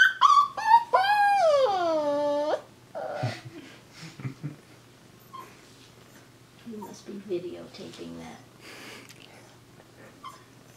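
A corgi puppy opens with quick rising yips, then draws out a long, tonal whine that slides from high to low over about two seconds. Soft human speech follows in a small room.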